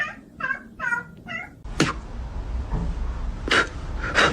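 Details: Kitten meowing indoors: four short, clear, harmonic mews in quick succession over about one and a half seconds, followed by a few sharp clicks and a low rumbling background.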